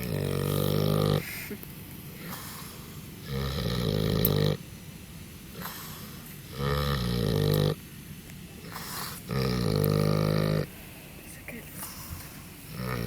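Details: Sleeping wild boar snoring: deep, rasping, buzzy breaths about a second long, repeating roughly every three seconds, with quieter rustling between them.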